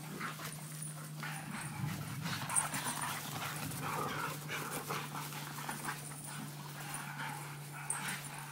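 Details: Three dogs, a Pit Bull, a Presa Canario and an American Bulldog, playing together; rough panting and scuffling bursts over a steady low hum, with scattered sharper knocks.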